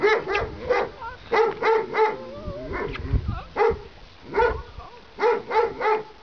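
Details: Several Weimaraner puppies give high, clipped yips in quick bursts, with thin wavering whines between them.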